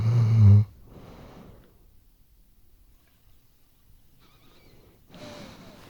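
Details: Sleeping Weimaraner snoring, recorded with a RODE NTG3B microphone: one loud, low rumbling snore for the first half-second, then near silence with faint breathing, and a soft raspy breath near the end.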